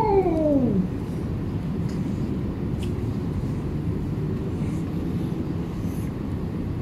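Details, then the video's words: A hungry stray cat being fed in a Bangkok village, Thailand, gives one loud drawn-out meow that slides downward and fades within a second, followed by steady low background rumble. "Hungry Cat"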